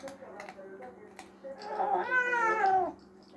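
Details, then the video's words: Domestic cat complaining while eating: a woman speaks softly, then a loud, wavering meow rises and falls over about a second in an indoor room. "kedi yemek yerken konuşuyor kedicat getting angry while eating"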